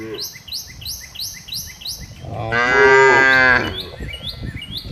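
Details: Grazing cows out in wide green pastures. One loud, rich moo lasts about a second midway. A bird chirps repeatedly in quick, high bursts before and after it.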